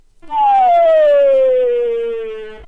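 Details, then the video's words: Tungara frog whine, the first portion of the chuck call, played back slowed down: a single long, smooth tonal note with many harmonics, gliding gradually downward in pitch and fading slowly at the end. "So there's the whine slowed down, and now we'll slow down the full-blown chuck call."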